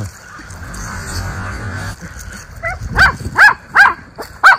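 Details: Miniature Schnauzer brothers in their yard in Aroostook County, Maine, in October, barking at the neighbours on a cold, windy day; after a quiet opening, four or five sharp high barks come in quick succession near the end.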